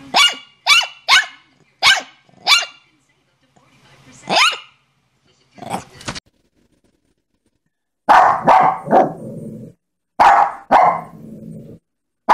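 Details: Shih Tzu dog giving five crisp, high yaps in a row, a pause with a drawn-out yelp, then louder, fuller barks in two bursts near the end.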